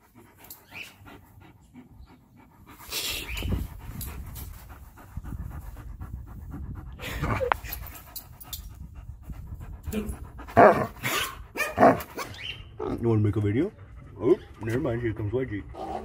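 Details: Siberian Husky at a dog park, heavy rhythmic panting in bursts of breath, with a few brief louder tonal whines and human voices breaking in toward the end.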